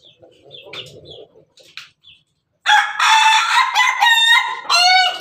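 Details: Ayam Ketawa rooster standing on top of its cage gives a melodious crow: after soft clucks and a pause, a loud, long harmonic crow breaks into rapid, stuttering laugh-like notes with rising and falling pitch.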